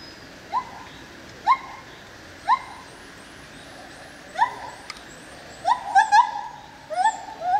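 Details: White-handed gibbon calling at Opole zoo: clear, upward-sweeping hoots roughly every second, quickening into paired notes toward the end. Faint high chirps sound above them over a low background hum.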